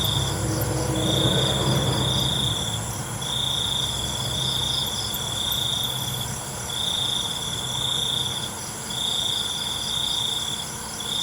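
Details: Crickets trilling after dark: shrill pulsed bursts of one to two seconds repeat with brief gaps, layered over a steady high-pitched insect chorus. A softer rustling murmur sounds during the opening seconds.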